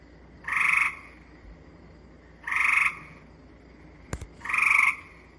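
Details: Gray treefrog giving flat-pitched, slowly pulsed trills, each under half a second, about every two seconds; in shrubby or treed areas the call comes from above the ground, not from it.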